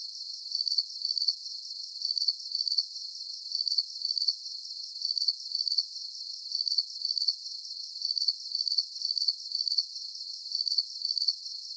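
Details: Calming cricket chirps, high and trilled, falling into an even repeating rhythm of paired bursts roughly one and a half seconds apart, set over a quiet, constant high-frequency wash.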